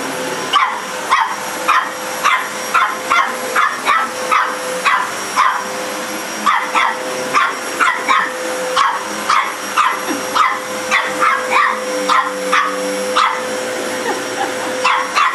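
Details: Dog barking at a vacuum cleaner, a long run of rapid, sharp barks, several each second, over the continuous whine and hum of the appliance, with occasional human speech.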